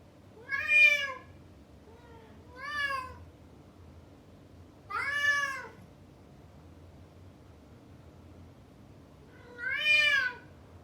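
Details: Shut behind a door after chasing a female, a male house cat makes a big sound: four loud, strained, arching meows at uneven intervals, one softer and shorter, over a faint room hum.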